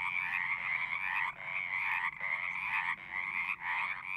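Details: Frogs calling at a pond in a horse pasture, Zoom recording: chorus of trills coming in bursts of about a second, separated by brief drops in sound.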